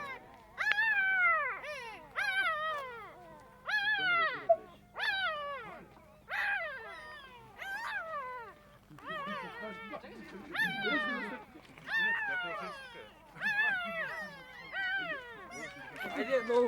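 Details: Two-day-old puppies in a box whining and squealing; repeated high, wavering cries, mostly falling in pitch, in quick bursts of several calls, several pups overlapping.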